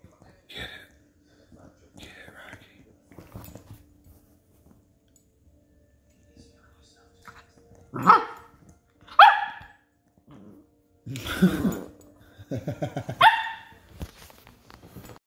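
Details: Two West Highland White Terrier puppies, Rocky and Rudy, wrestling indoors: a few soft early yips, then loud, irregular bursts of sharp playful barks and growly yaps in the second half, with an excited human voice urging them on.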